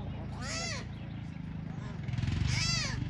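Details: Tiger cubs abandoned by their tigress mother at Taigan lion park in Belogorsk, Crimea, give two arched, harmonic wailing calls about two seconds apart. People talk throughout over a low engine hum.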